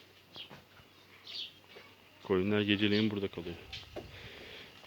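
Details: Calves settled in their new pen, soon to be slowly weaned off milk, give one loud, low moo of about a second, rich in harmonics and slightly rising. Faint small-bird chirps and quiet barn noise sit around it.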